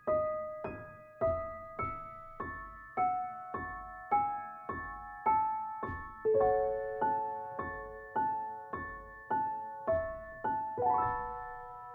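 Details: Gentle solo piano melody, notes struck about once per second and left to fade, with no animal sounds.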